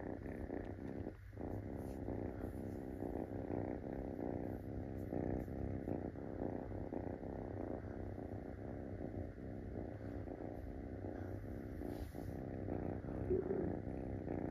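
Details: Munchkin kitten that has climbed onto a person's belly, pressing to be petted; a soft, steady, low purr rumbles throughout, fairly quiet and muffled, with faint indoor background.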